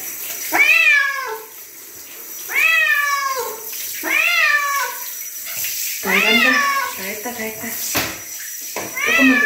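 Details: Chino, a bobtail house cat, protests during a bath with a series of about five loud, rising-then-falling meows, each roughly two seconds apart, with splashing and other bath sounds between them.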